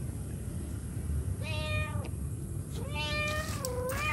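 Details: Mother cat calling her kittens: two drawn-out, harmonic meows, the second rising and then falling in a long wavering slide, over a steady low background hum.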